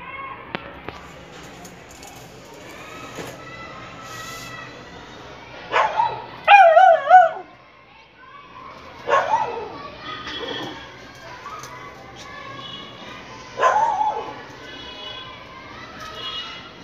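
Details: Beagle puppy playing with balloons indoors: loud, sharp, ringing barks and yelps come in bursts, a rapid cluster at six to seven seconds, then single barks near nine and thirteen and a half seconds, with quiet rustling in between.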